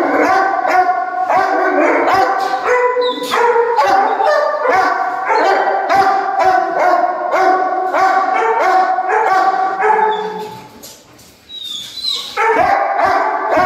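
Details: Dogo Argentino giving a long run of loud, harmonic, yelping barks at about two per second. The barks briefly fall away near the end, then resume.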